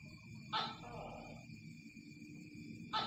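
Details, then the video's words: Tokay gecko call: a loud, harsh croak with a rough trailing note, then a second burst starting at the end, over constant insect chirring and low rumbling background noise. "Suara tokek"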